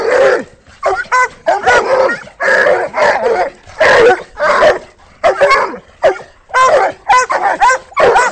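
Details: Three Treeing Walker Coonhounds treeing a raccoon held in a rolling cage; loud, overlapping bawling barks and bays in quick irregular bursts, some drawn out and falling, others short and sharp.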